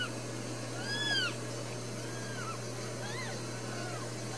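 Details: Newborn Ragdoll kittens, one of four brand new babies in a home cattery in central Kansas, give faint, thin, high arching mews, about four scattered across the moment, over a steady low electrical hum.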